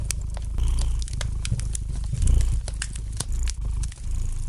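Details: Gentle purring of a domestic cat by a fire: a continuous low throbbing rumble with soft surges in loudness, dipping briefly near the end, overlaid with frequent bright crackles and pops from burning wood in the fireplace.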